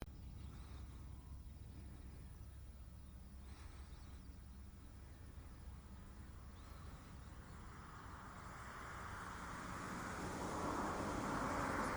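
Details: Quiet background hum gives way to a rising broadband rush of noise, like wind or a passing car, with no animal sound.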